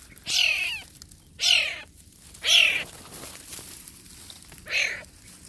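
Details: Borneo wild cat kitten, Sei Cuka: four loud, clear mews, each a falling, harmonic-rich cry under a second long, with gaps of about a second and a longer pause before the last one. Faint background hiss.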